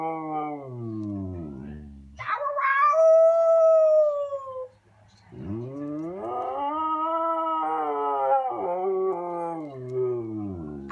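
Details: Khaleesi, a talkative female Siberian Husky, vocalizes because she wants a walk: a falling moan, a sharp high yelp-like cry that glides downward, a short silence, then a long rising and wavering howl.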